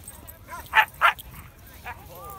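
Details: Husky and Malamute dogs at a snowy meetup: two sharp, loud barks in quick succession, a softer third bark, then a thin rising whine at the end.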